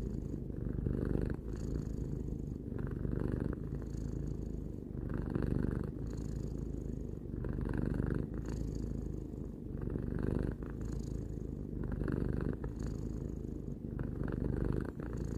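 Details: Steady purring from Tarou, a cat aged three, recorded indoors; a deep, even rumble rising and falling in gentle breathing cycles about every two seconds, nothing else heard.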